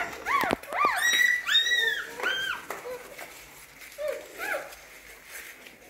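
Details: Hungry newborn puppies nursing from their mother dog give high, thin squealing whines, each a short arching note, several overlapping in quick succession, then fading to softer, lower squeaks toward the end.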